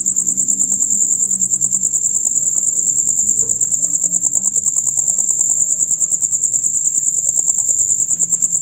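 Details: Male crickets chirping in a loud, rapid chorus heard from dusk until dawn; a dense, high-pitched pulsing trill runs steadily through the whole stretch, with faint low murmurs underneath.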